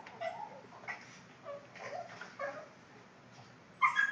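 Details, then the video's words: Funny noises from a Boston Terrier: short nasal whimpers and squeaky whines repeated about every half second, ending in a sharper, louder yip. "My Boston's making funny noises"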